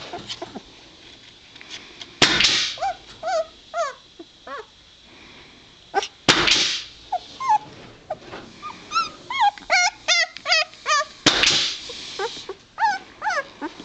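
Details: Litter of two-week-old White Shepherd puppies giving rapid repeated high whimpers and yips, wavering and falling in pitch, many in quick succession, interrupted by three loud broadband bumps or thumps.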